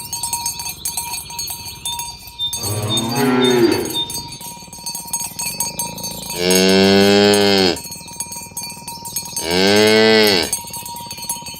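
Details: Tame cattle herded in the morning toward the pen along village roads, calling others to gather: three long harmonic moos, the second and third loud and level, over steady clinking cowbells.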